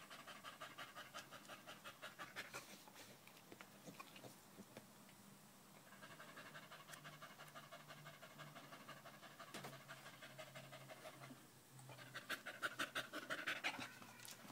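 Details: Loud panting from Danco, a household dog sticking close to someone's leg on 05.08.2013: quick rhythmic breaths near three a second, easing off in the middle with a low steady hum underneath, then returning strongly near the end.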